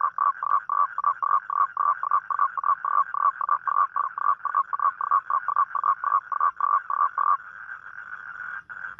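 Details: Night-time toad calling for a mate, as toads do on rainy nights: rapid, evenly spaced croaking pulses about four a second, then running together near the end into a continuous buzzing trill.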